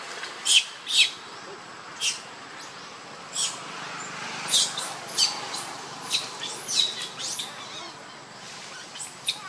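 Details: Hungry infant monkey Lucie pleading for milk, giving high thin squeals and short arched cries at uneven intervals, some in quick pairs, with quieter gaps between bursts.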